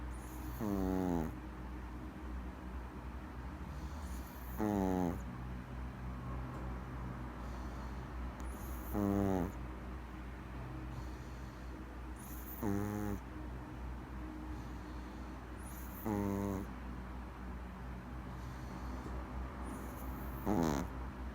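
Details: Sleeping Maltese puppy snoring, six snores about every three and a half to four seconds, each a short raspy burst with stacked tones that sweep upward, over a steady low hum.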